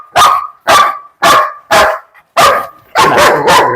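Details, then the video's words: German Shepherd named Bruno, described as an aggressive biting dog, barking loudly in six sharp, evenly spaced barks about half a second apart, with the last ones running together into a rapid burst. "കടിയൻ German Shepherd"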